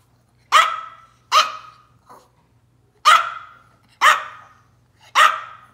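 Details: Tiny Taylor, a Yorkshire Terrier having a little tantrum, yaps five times in sharp, ringing barks spaced roughly a second apart, with one faint soft yip between, against a quiet background with a low electrical hum.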